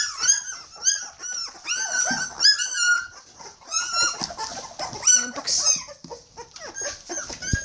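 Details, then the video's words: Border Collie puppies, 21 days old and hungry, give a steady stream of high-pitched arched whines and squeaks, many pups calling over one another, with brief quieter gaps. "Border collie puppy's are hungry"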